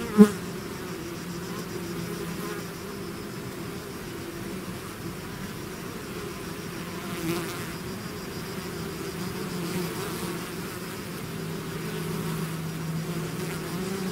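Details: Bees swarming out of the hive give a low, steady humming drone, opening with a brief sharp buzz close by, then a smooth continuous buzz with slight swells.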